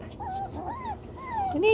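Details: Young chocolate brown Toy Poodles, 7 weeks old, playing in a larger pen, produce drawn-out arching whimpers, three or four long rising-falling whines, ending with a higher squeaky yip, amid faint room noise.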